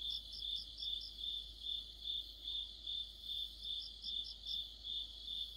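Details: Mid-autumn cricket chorus: evenly spaced shrill chirps about 2.4 per second, with a second, higher insect adding short clusters of buzzy notes near the start and toward the end.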